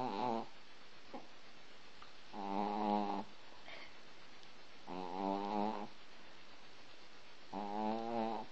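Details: Pet Chihuahua snoring while asleep indoors, rhythmic harmonic rasping snores each lasting under a second, about every two and a half seconds, with quieter breathing between.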